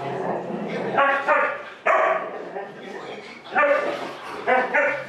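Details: Huskies left home alone at an old home while their owners ran errands, one only a year old; loud, wavering, harmonic whine-howls come in short bursts about every second, rising and falling in pitch, with quieter muttering sounds between them.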